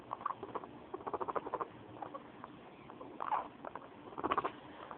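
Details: A happy female guinea pig purrs in quick, low, stuttering pulses in short bursts before squealing in anger when touched on the belly.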